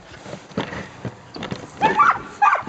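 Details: Samoyed sled dogs, a three-dog team on a training run in Minnesota in February 2010; soft thumping and shuffling, then short excited whining yelps with rising, wavering pitch near the end.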